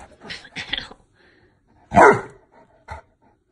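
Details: A Saint Bernard refusing to go to bed talks back when told it is bedtime: one loud hoarse bark-like vocalisation, then a short grunt, after a woman's brief speech.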